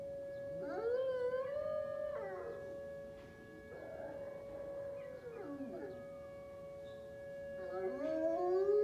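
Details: Very high-content wolfdog howling at the monthly first-Monday siren test on a morning; several drawn-out howls rise and hold steady, then waver and drop, over a continuous steady-pitched siren tone.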